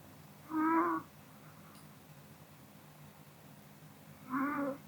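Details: A Pomeranian dozing after dinner snores softly: two short, tonal, nasal whistling breaths about three and a half seconds apart, with near silence in between.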